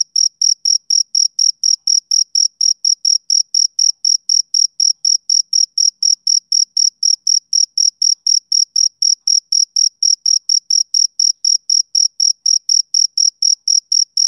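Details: Steady high chirps from a male cricket on a summer evening, about four short bursts each second in a relentless, metronome-like pattern; background otherwise silent.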